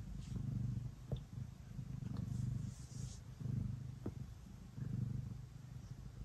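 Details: Pet cat Ace purring while kneading at bedtime; low rumbling purr swelling and fading in regular cycles roughly every second, each breath audible as a pulse, with faint soft taps in between.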